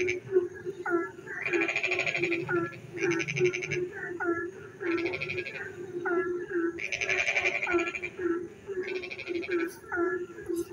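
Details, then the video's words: Frogs calling on a rainy night in the countryside: pulsed, grating trills in regular bursts every one to two seconds, with sharp descending chirps between them and a steady low drone of croaks underneath. "frog singing in the dark night when it rains"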